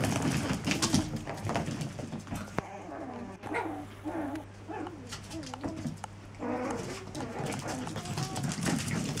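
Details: Seven-week-old Chihuahua pups vocalising, with a string of soft, wavering whines and grunts that rise and fall in pitch, irregular and overlapping, over a steady low electrical hum.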